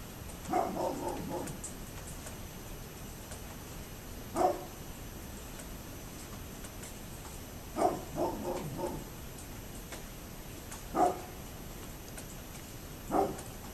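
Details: A neighbour's dog barking on 27 October 2011: single sharp barks every few seconds, some in quick clusters of three or four, heard from a distance over steady background hiss.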